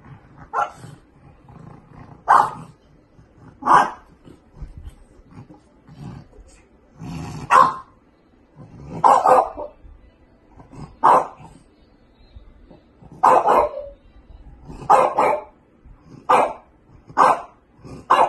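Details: French bulldog puppies giving short, sharp barks in a brisk irregular series, about a dozen yaps over eighteen seconds with faint low rumbling between them.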